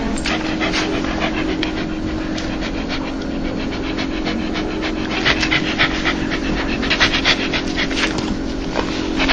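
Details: A dog's joyful laugh: fast rhythmic panting, roughly four breaths per second, softer at first and growing more forceful near the end, with a constant low drone behind.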